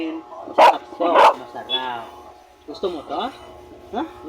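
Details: During feeding, Mia the aspin gives two loud, abrupt barks close together, followed by a woman's coaxing Filipino speech asking if she wants the tasty rice and barbecue.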